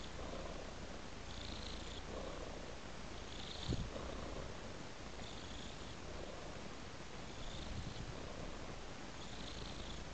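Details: Contented house cat giving a long unbroken purr, deep pulsing rumble with rhythmic breathy swells about every two seconds, and one brief soft click near the middle.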